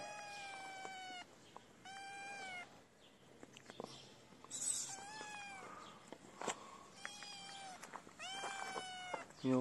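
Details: Kitten crying for food: short, high, slightly descending meows repeated roughly every one to two seconds in a series of five, with a person speaking briefly in between.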